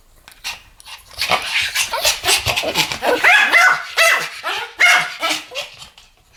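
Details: Two Pomeranians barking together in a duet, a dense stream of quick, high-pitched yaps overlapping one another almost without pause.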